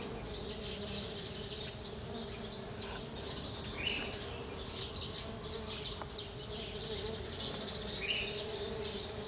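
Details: Stingless bees at a sunflower, recorded 09 12 2013, making a continuous droning buzz with steady tonal bands, plus a couple of brief higher chirps from the background.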